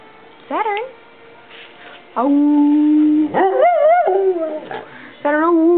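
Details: Pet dog making its unusual woo-woo noises, neither barking nor growling: a short rising yelp, then long sustained howl-like tones with wavering pitch, ending in another held note.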